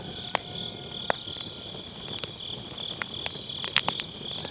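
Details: Grass insects on an autumn night keep up a steady high, pulsing trill beside a round campfire pit, with sharp wood crackles and pops bursting through; recorded on an MKE600 microphone with low cut.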